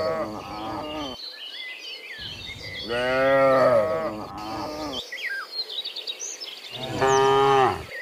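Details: Dozens of cows returning from the fields to the pen in the afternoon, mooing every few seconds; long harmonic lows from several animals, some overlapping, with bird chirps and twitters in the background.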